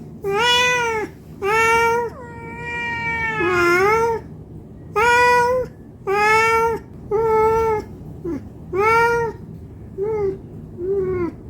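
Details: Hungry domestic cat meowing to beg for food; a steady run of clear, tonal meows, one long level cry near the start, then shorter calls about every second, ending in two softer, brief mews.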